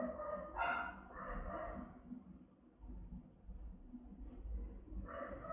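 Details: House-guarding Rottweiler Melsee, with her offspring Siro adding occasional barks, gives round, booming barks; two barks open, a quieter stretch follows, and another bark closes it, over low rumbling background noise.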